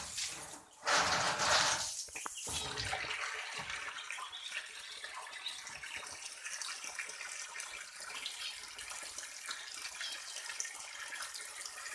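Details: Steady hiss of running or splashing water, with a brief louder splash near the start and no animal calls.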